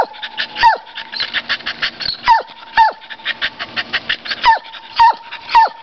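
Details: Barking at a squirrel, the dog Champ lets out roughly eight piercing yelps with falling pitch, irregularly spaced, some doubled, while a steady high tone and quick ticking chatter run underneath.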